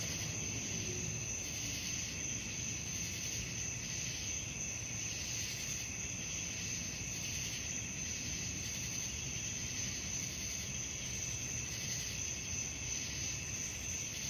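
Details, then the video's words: Crickets calling at night, a steady high ringing trill overlaid with softer pulsing layers that throb roughly three times a second, over a constant low rumbling background hiss. "suara jangkrik malam"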